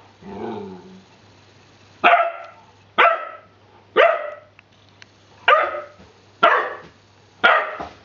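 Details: Ten-week-old Rhodesian Ridgeback puppy named Hubby at play with his new rubber pig toy; after a soft opening whine, single bright barks repeat roughly once a second, evenly spaced and similar in pitch.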